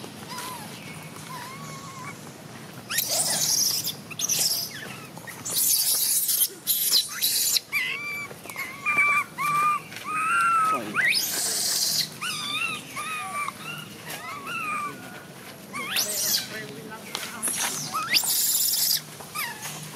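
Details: Baby macaque Jixn crying in a tantrum after mother Jade refuses to let it nurse, Siem Reap Province: high, wavering tonal cries with bent harmonic wails, repeated in bursts from about three seconds on, over hissy outdoor background.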